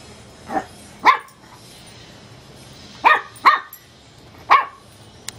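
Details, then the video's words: Teacup Chihuahua puppy barking at a light bulb: five short, high, sharp yaps, one faint, then two in quick succession, spaced unevenly across a few seconds against a quiet background with a low steady hum. "teacup chihuahua puppy dog barking at a bulb light"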